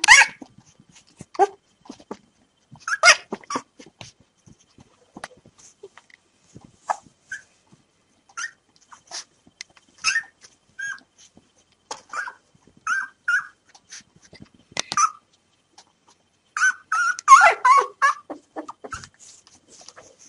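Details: Newborn puppies three days old, five littermates waiting for hand feeding of milk, give scattered thin squeaks and short whimpers, quiet at first, then a denser cluster of overlapping cries near the end.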